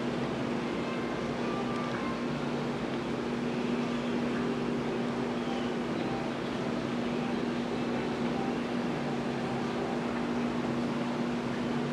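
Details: Steady mechanical hum and broad background noise throughout, with no animal sound heard.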